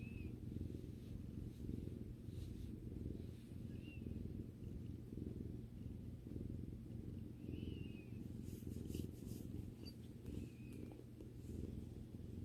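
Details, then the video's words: Purring of a pet female cat as she relaxes with her owner indoors: a continuous low, throbbing rumble that barely changes in loudness, with a few soft high chirps and brief faint rustles above it. "Video that relaxes while listening to the cat's rumbling sound"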